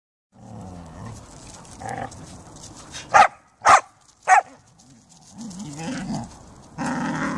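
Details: Pet Siberian Huskies and a Samoyed outdoors in fine weather: three loud, sharp barks in quick succession mid-clip, framed by softer low murmuring vocal sounds and a louder broadband burst at the end.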